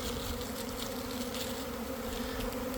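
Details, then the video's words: Swarming honey bees around one in the afternoon on a warm day after a week of cold and damp, beside a hive in a garden; a dense steady buzz with bands near 250 and 500, a thick wall of wingbeat hum. "Catching a Swarm in Real Time!"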